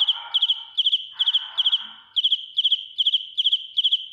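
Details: A cricket sings close to the microphone, shrill and piercing: bright chirps of three to four clicking pulses come about two and a half times per second, with a brief rustling sound near the start.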